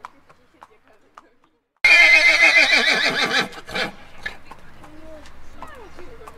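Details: A domestic horse gives a loud, quavering neigh that shakes rapidly before fading into softer sounds.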